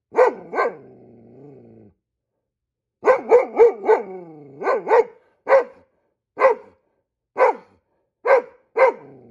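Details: Squirrels spotted, a Goldendoodle barks like a guard dog: a double bark and trailing whine, then a rapid flurry of five barks easing into single sharp barks spaced roughly one second apart.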